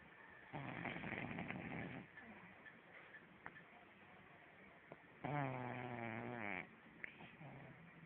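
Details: Sleeping French Bulldog snoring: rough, rasping breaths with a longer buzzy, wavering snore near the end, faint clicks between.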